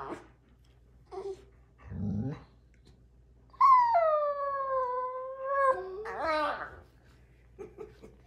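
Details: A female rescue Basenji-Husky mix puppy gives a long, wavering yodel instead of barking, with small grunts around it.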